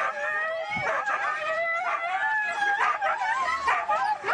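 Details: Several Siberian Huskies at a race in East Anglia give a continuous chorus of excited yips, whines and yelps, overlapping wavering high-pitched cries rising and falling throughout with no pauses.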